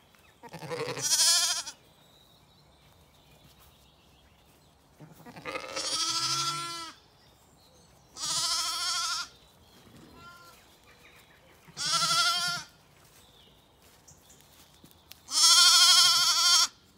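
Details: Zwartbles lambs on a regenerative farm in County Kilkenny, Ireland, calling desperately and confused while their mothers leave them to eat breakfast; five loud, harmonic, wavering bleats about every three seconds, separated by quiet gaps with faint murmuring.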